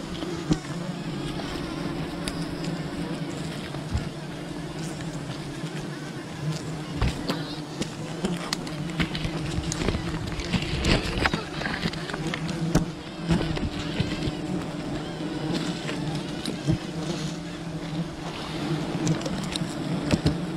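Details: Wild bee colony disturbed during honey hunting: a dense, steady low buzzing hum with layered tones, overlaid by scattered clicks, knocks and rustling throughout.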